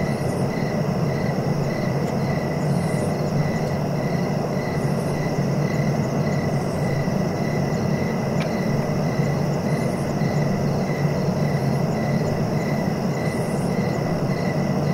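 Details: Crickets chirp in a steady pulsing trill, with faint high buzzy bursts every couple of seconds, over a constant low rumbling background noise that dominates the recording.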